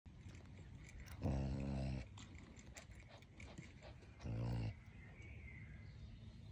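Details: A caracal gives two low, harsh, buzzy calls a few seconds apart over steady background noise.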